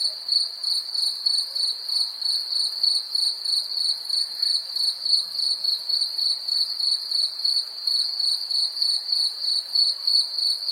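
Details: An insistent, high cricket trill pulses rhythmically about three times per second throughout, against a quiet background.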